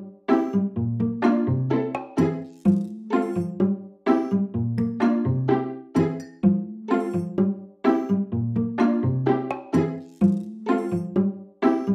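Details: Cheerful plucked and chiming instrumental music with a bouncy repeating tune and no animal sound.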